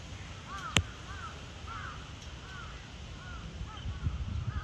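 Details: The cheetah Zuraya, Chiba Zoological Park, Japan, 8 April 2023, utters evenly spaced arched chirps about every half second. A sharp tap sounds early on, over a low background murmur.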